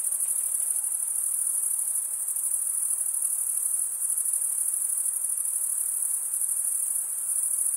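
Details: Crickets, males stridulating by rubbing one wing's edge across the toothed vein of the other, make a continuous very high-pitched shimmering trill that stays steady and unbroken throughout, with no other sounds.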